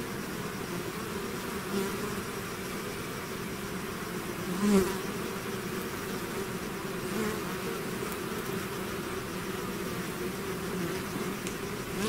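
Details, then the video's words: A bee swarm out of its hive fills the air with continuous deep buzzing, layered hum steady throughout, one close fly-by rising and fading around the middle. "bees therapy swarm natural buzzing sound"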